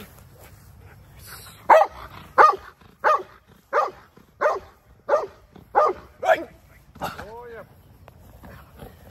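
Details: Dog in handler protection work gives a run of loud, sharp barks, about one every 0.6 seconds, after a man's spoken command; a brief rising and falling tonal sound follows the last bark.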